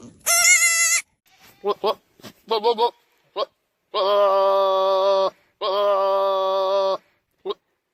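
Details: Domestic goat calling at feeding time, with a short high quavering bleat, then two long, deep, steady bleats of over a second each; a man talks briefly between the calls.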